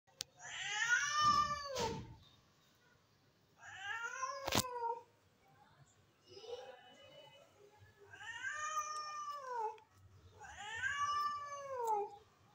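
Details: Hungry stray cat meowing for food while being given milk: five drawn-out, harmonic meows, each rising then falling, spaced roughly every two to three seconds, with a few sharp clicks between them.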